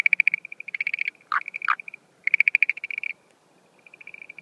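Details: Schlegel's green tree frog at night during the breeding season, April 2013: fast pulsed rattles interrupted by two lower, sliding croaks, then another rattling train fading to quieter pulses.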